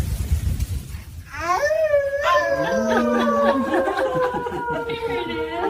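A husky howls in long, rising, wavering tones after a brief voice and a baby's sound.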